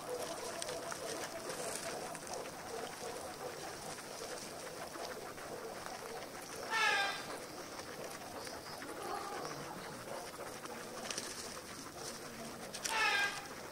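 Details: Guinea pig at home in its daily routine, giving two short bursts of rising high squeaks several seconds apart over a steady background hiss with faint voices.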